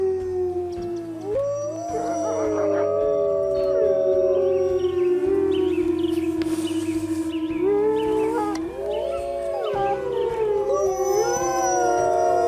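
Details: Chorus of wolf howls at night: drawn-out tones bend upward and drop away, several voices overlap and restart, with background music pulsing below.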